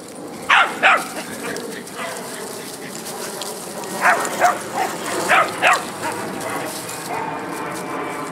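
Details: Dogs playing together, a Shar-Pei and a Doberman joined by a Jack Russell Terrier; sharp barks in pairs, two near the start and a cluster of four later, over steady background noise.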